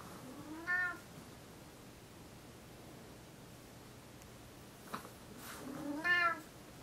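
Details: Morning wake-up meows from Tigger, a house cat who pesters his owners in bed before the alarm clock goes off: one short meow near the start, a long silent gap with a faint thump, then a louder closing meow.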